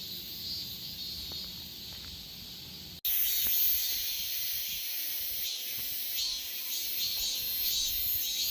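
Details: Korean cicadas: a softer high hum that cuts abruptly into a much louder, harsh, hissing buzz covering all the upper range, with faint pulsing swells throughout.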